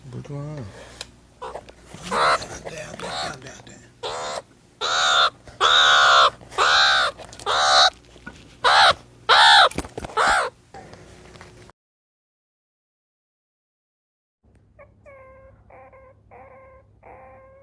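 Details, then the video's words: Meerkat calls: a run of loud, harsh, harmonic barking bursts repeated about once a second, then a pause and a quieter series of short, evenly repeated chirping notes. "MEERCAT SOUND EFFECT 미어캣 울음소리"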